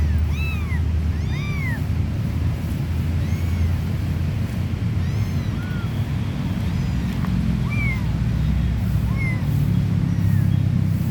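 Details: Stray mother cat and three kittens at play; scattered thin, arched meows, brighter at the start and around eight seconds, spaced by gaps, against a continuous deep rumbling background.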